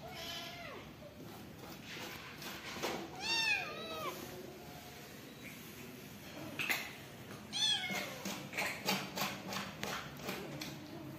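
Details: Newborn kittens kept as family pets call with high, wavering meows that sweep up and down, some stacked in quick bursts, interrupted by clicking and rustling handling noises.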